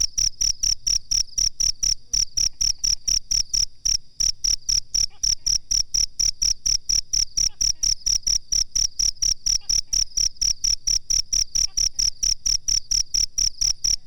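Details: Cricket used as a master recording for teaching cage birds, giving a long, steady run of sharp high chirps about four a second, each pulse carrying a faint low thud.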